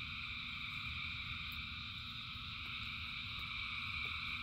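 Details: Massed frogs singing in rain, an evenly sustained mesh of high trilling tones, with a soft low rumble and a few faint ticks.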